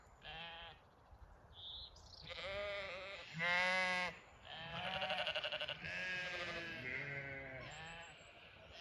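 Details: Several Zwartbles ewes spread over two fields on a County Kilkenny farm in Ireland, calling to the flock at evening feed; loud quavering bleats overlap, one strongly tremulous, with brief gaps between.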